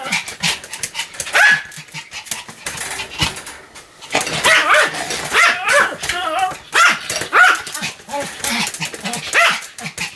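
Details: Continuous barking from a Pomeranian called Sam, with bursts of loud, high-pitched yaps, short quiet gaps, then renewed clusters of sharp barks, some with a squeaky, whining edge.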